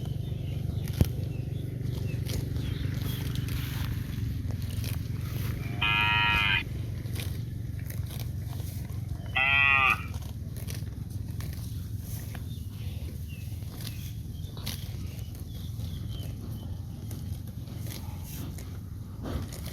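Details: Cow out in green grass fields calling twice, with two short, nasal moos about three seconds apart, each rich in harmonics, above constant low-pitched rumble and scattered faint clicks.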